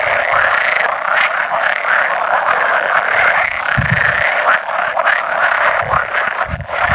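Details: About 100 male pool frogs chorus at an egg-laying gathering on 16 May 2017, where edible frogs occasionally croak too. A steady, massed rattling croak continues throughout, with faint low thumps now and then.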